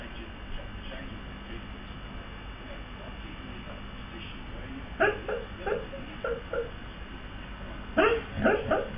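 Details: A male Siberian husky barks in his sleep, probably dreaming, giving soft, muffled woofs and yips in short bursts.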